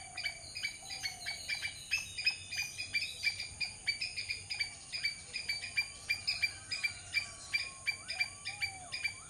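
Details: Rapid squirrel chatter made of crisp, broadband chucks, roughly three a second but irregular, with occasional soft rising and falling whistles heard faintly behind.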